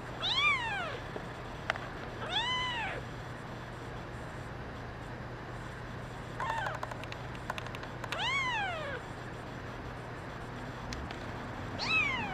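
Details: Meowing kittens, including a brown mackerel tabby girl: loud arched cries open and close the stretch, with others in between. Quick tapping clicks are scattered among them, and one weaker call sits near the middle over a steady background hum.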